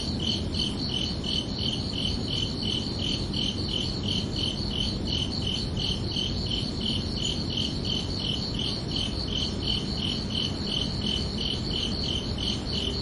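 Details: Crickets chirping at night on a summer evening: steady, evenly spaced high pulses, roughly two per second, forming a continuous ringing trill over a soft low rumble of background noise.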